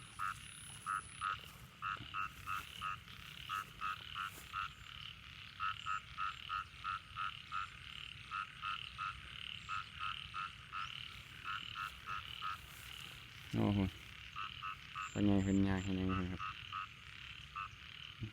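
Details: Frogs calling in rice fields after heavy overnight rain in Thailand: a dense chorus of short, repeated pulsed croaks, about three per second, with a few louder, deep, drawn-out harmonic croaks near the end.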